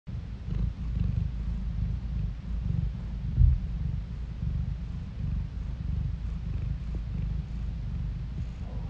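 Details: Domestic cat purring steadily, recorded indoors on a phone; a continuous low rumbling purr with a gentle pulsing rhythm fills the whole stretch, with one brief louder thump partway through and no other sounds.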